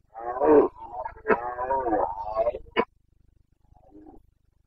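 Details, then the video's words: Carpathian stag in Bucovina bellowing in the 2022 breeding season: one long, drawn-out, grating roar with wavering harmonics and a few sharp breaks, lasting nearly three seconds, then a faint low grunt after a pause. "Boncănit / Carpathian stag Breeding season 29.09.2022"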